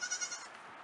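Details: Nigerian Dwarf dairy goat kids on their first time out in the main goat pen on a farm; a short, quavering high bleat under one second long, fading out.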